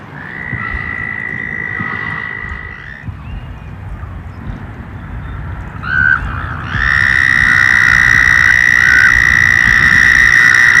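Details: Frogs and toads emerging as summer approaches: a long, steady, high trill sounds for about three seconds, then a brief note, then a stronger sustained trill with rich overtones to the end, over rough low background noise.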